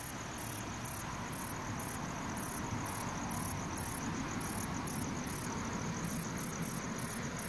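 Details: Calling Requena verticalis bush cricket giving rapid high-pitched chirps, roughly three to four a second, with short gaps, set against a louder low rumble like distant traffic.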